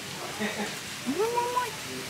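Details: Cat named Moi, indoors, answering when its name is called: a single rising then level meow lasting about half a second, over a low room hum with faint speech.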